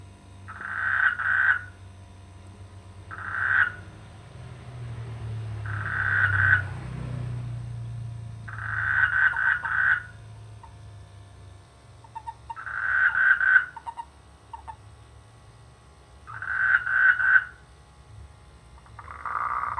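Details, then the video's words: Frogs in rice fields in the rainy season giving short bursts of rapid, rattling croaks about every three to four seconds, with quiet gaps and a low rumble in between. "The sweet sound of frogs in the rainy season"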